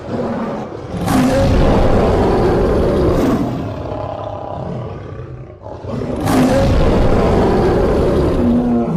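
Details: Lion roar, deep and growling, in two drawn-out bouts about three seconds long. A rough rumbling body carries faint tonal overtones, with a quieter gap between the bouts.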